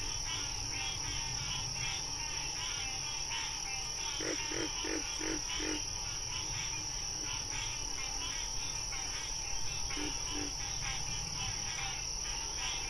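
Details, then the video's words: Frogs in the wild croaking: a run of five low, evenly spaced croaks, then two more later, over a dense, rapidly pulsing high chorus and constant humming background tones. "Frog Sounds"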